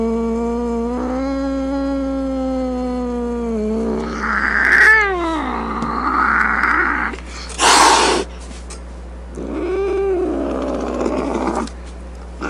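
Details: Grumpy domestic cat yowling low and steadily, then breaking into rough snarling wails with a sharp hiss between them.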